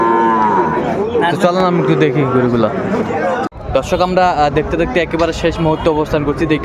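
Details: Young bull calves bought by a farmer in Comilla, Bangladesh, on 6 January 2025, low harmonic moos overlapping one another in a busy cattle market, with a brief silent break midway and human chatter throughout.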